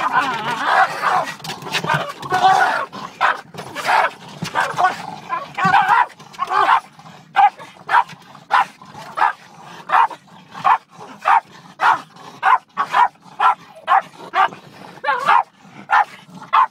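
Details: Two Boston Terriers attacking a car's rear windshield wiper, barking in sharp, rapid bursts, first dense and overlapping with voices, then regular single barks roughly every half second.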